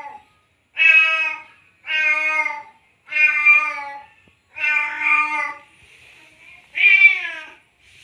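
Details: In heat and calling for a female after mating, a male cat gives five loud harmonic meows at steady intervals, with a faint buzzing sound in the pause before the last one.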